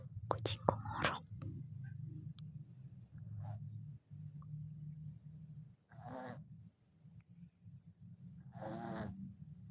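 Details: Orange cat snoring in its sleep: two breathy, rasping snorts about three seconds apart over a steady low rumble, with a few brief clicks and rustles at the start.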